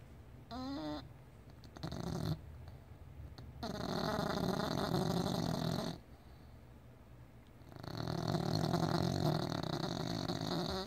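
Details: Rubble, a pet, snoring indoors: rough, noisy breaths that come in long rasping stretches, with a brief whining, harmonic tone near the start and quieter gaps in between.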